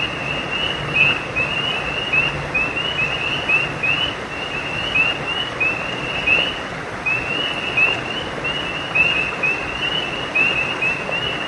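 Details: Several frogs chorus at night beside a creek, giving brief high upswept chirps that overlap and repeat without pause, set against continuous broadband rushing of creek water.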